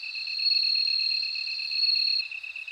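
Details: Short stretch of a bell cricket's shrill, ringing trill held steadily, then cutting off abruptly after two seconds. A quieter, fast-pulsed insect chirping persists underneath.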